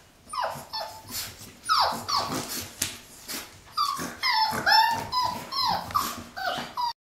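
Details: Six-week-old Boxer puppies of one litter at play indoors: overlapping high whines and yelps, many sliding downward in pitch, mixed with short rough growly yips in rapid, irregular bursts from start to end.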